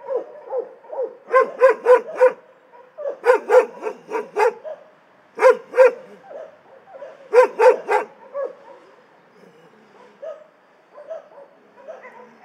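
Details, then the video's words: Several dogs barking in an animal shelter, sharp harmonic barks in quick bursts of three to four, pausing between volleys, with softer yips and whines in the background and quieter barking trailing off toward the end. "Szczekające psy w schronisku"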